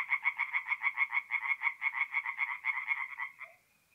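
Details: Tree frogs singing at night at a forest pond in mid-April in north-east Italy; rapid pulsed croaks, about seven per second, a bright nasal rattle that runs for three seconds then stops, leaving quiet.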